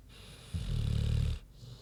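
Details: Single deep wheezy snore from Queenie, a big pig sleeping, just under a second of low buzzing rumble.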